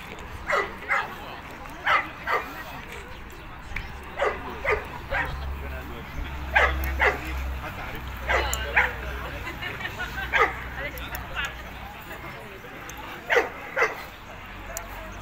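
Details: Boerboel, or South African Mastiff, one of a male and female pair living in Egypt, giving sharp broadband barks singly and in quick pairs at irregular intervals, with low rumbling background noise between them.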